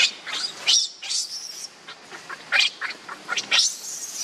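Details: Baby monkey named Leo crying and begging its mother for milk while hungry; high, thin squeals with quick upward sweeps come in short bursts and broken runs, with pauses between them.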